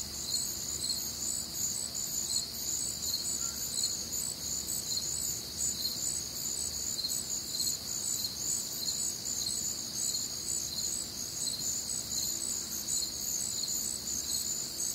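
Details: Crickets on a warm, humid Midwestern summer night, with other nocturnal sounds: a dense, continuous high chorus of pulsing chirps in several overlapping bands, steady throughout with no other clear sounds.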